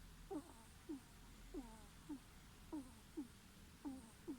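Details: Ferret snoring indoors: soft whistly squeaks that slide downward, coming in close pairs with each breath, about seven squeaks over four seconds over a faint steady hiss.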